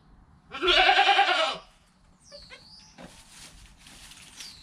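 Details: Newborn goat kid within its first hour of life, mother calm nearby, recorded on a GoPro: one loud, wavering, harmonic-rich bleat lasting about a second, followed by faint chirpy bird-like sounds and soft rustling.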